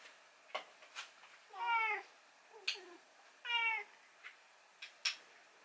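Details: Rescued cat demanding its late morning food. Two short, slightly wavering meows stand out among scattered soft clicks and taps in a quiet room.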